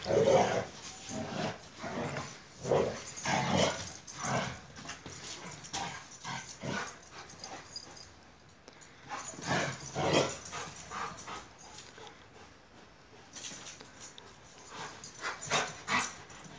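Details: Two Akbaş shepherd dogs, Zeyna and Güdük Reis, playing together in Turkey: gruff growling and rough vocal bursts come in irregular clusters roughly every second, with a brief lull near the middle before the scuffling noises resume.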